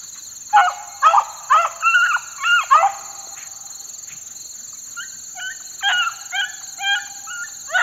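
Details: Young four-month-old Beagle pups working outdoors on a dry morning, giving bursts of yelping bays: short, bent, wavering cries repeated about twice a second, a loud cluster then a fainter series, with a steady high electronic whine throughout.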